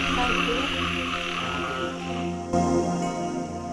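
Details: Many kinds of frogs croak together in a dense, continuous chorus by the water at Angkor Wat, Siem Reap, Cambodia, with a man speaking over it.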